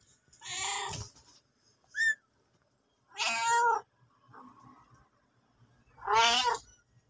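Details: Mother cat and kitten: a series of short, bright meows about every two to three seconds, some loud and harmonic-rich, with a brief high chirp and a fainter mew between them.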